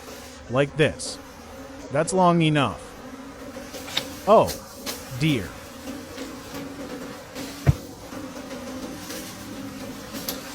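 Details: Buzzing of wild bees during the final honey harvest of the season in deep forest, several short swooping passes spread across the recording, rising and falling in pitch, with a low continuous hum and one sharp click.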